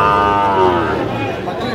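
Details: Sahiwal bull calves at a cattle market in Mymensingh, Bangladesh, on 19 April 2025: a sustained, harmonic-rich moo lasting nearly two seconds, slightly falling in pitch, over a background of market noise.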